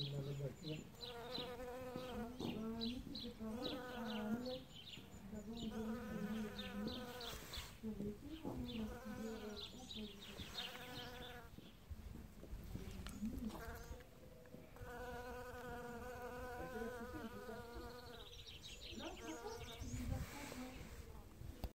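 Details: Bee foraging for pollen in early spring at the first flowers; loud humming buzz in bursts of about two seconds separated by brief pauses, pitch wobbling slightly within each burst, faint high chirping in the background.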